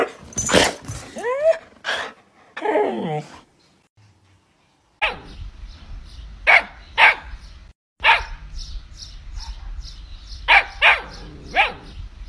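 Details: Siberian Husky bark sound effect: sharp, bright barks and a rising yelp early on, then evenly spaced crisp barks over a steady hiss, with a brief quiet gap in between.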